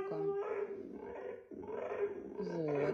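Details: Husky greeting its owner home from work with a talkative howl-like vocal exchange; wavering, moaning tones that rise and fall in several phrases, with a woman's voice speaking Russian between them.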